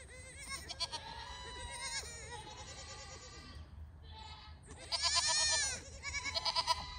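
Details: Registered Pygmy goats on a farm in Knoxville, Tennessee, USA, several voices bleating in overlapping, wavering, nasal cries, some long and drawn out, others short and quavering, with a brief lull midway before louder bleating resumes.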